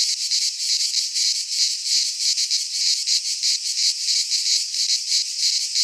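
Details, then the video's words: Midsummer cicada chorus from a pine forest in Greece, a steady high buzzing drone with rhythmic swells in loudness a few times per second, unbroken across the whole stretch. "Cicadas singing in midsummer"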